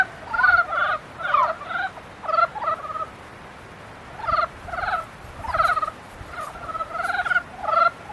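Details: Frogs calling in mating season: about nine rattling, pulsed croak bursts with a nasal, harmonic tone, spaced by short silences over eight seconds.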